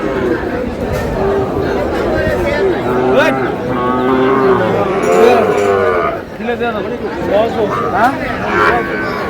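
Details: Sahiwal breed bull calves offered for sale at a busy Cumilla cattle market, Bangladesh, 27 March; several overlapping lowing moos swell through the middle, set against a dense crowd of talking people.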